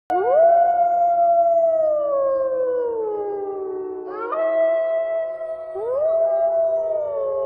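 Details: Gray wolves at a zoo in Sidharth Garden, Aurangabad, howl in long, smooth, drawn-out notes that slowly slide downward, with a second voice joining in.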